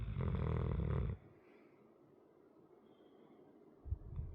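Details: A sleeping 100lb dog snores indoors, one loud low rumbling snore lasting about a second, then quiet breathing and a faint start of the next snore near the end.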